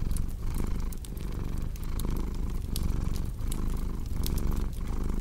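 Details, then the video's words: Cat's deep, continuous purr pulsing with its breathing about once per second, the low throbbing rumble dominant while a crackling fireplace adds scattered bright snaps over the top. "Purring Cat with Cozy Crackling Fireplace Sound"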